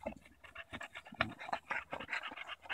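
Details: Bulldog named Daisy pants rapidly during a stick tug-of-war on a July 2014 walk in Erindale Park, short breathy puffs repeating several times per second, fairly quiet, with faint scuffing.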